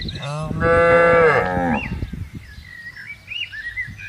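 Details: Tame cattle roaming a pasture on a countryside farm, one loud, full moo about a second long with many stacked harmonics, then rustling and knocks while small birds twitter in the background.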